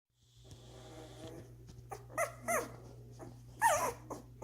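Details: One-week-old Doberman puppies feeding and sleeping, with siblings jostling for a spot. A short high squeak rises and falls, then two more come in quick succession, over a steady low hum.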